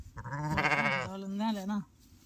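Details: Lamb with a broken leg bleating while its leg is being bandaged; one long wavering bleat of nearly two seconds, harmonic and tremulous, dropping to a steadier lower tail, with a person speaking nearby.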